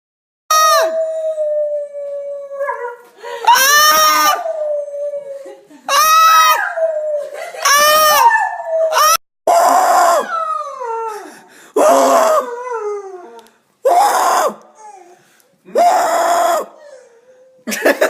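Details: Dog and owner trading screams and howls. The first half carries long, bending, harmonic howls. Harsher, broken screams and howls follow in short bursts about every two seconds, with brief silences between.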